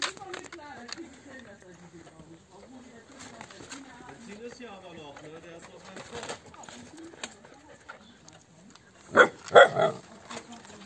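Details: Siberian Husky puppies from a litter of eight at a yard in Remels, Germany, whimpering in thin, wavering whines that rise and fall almost without pause for several seconds. Sharp, loud knocks break in near the end.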